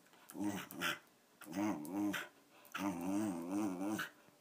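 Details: An elderly female Wire Fox Terrier named Patsy, aged 13, makes three quavering growl bursts, each with a pulsing, up-and-down warble, the last one longest.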